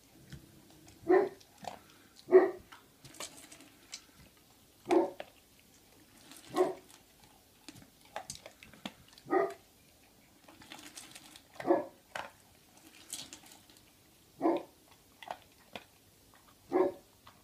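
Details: Three-month-old Great Pyrenees puppy named Libre, indoors at home on 25 February 2015 around mealtime of dry kibble, gives about a dozen short, sharp yapping barks at uneven gaps of one to two seconds, with soft knocks and rustles between.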